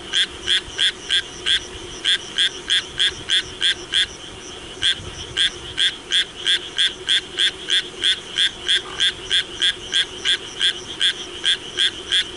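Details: Rapid, rasping croaks from a Japanese tree frog during rain, short harsh notes repeated about three times a second in a long unbroken chain, soft background hum below.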